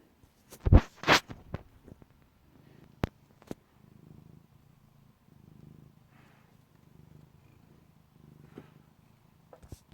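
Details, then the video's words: Sooty the cat snoring loudly while asleep; after a few sharp knocks early on, soft low rumbling breaths pulse steadily through the rest of the recording in a quiet indoor setting. "Snoring Sooty Cat"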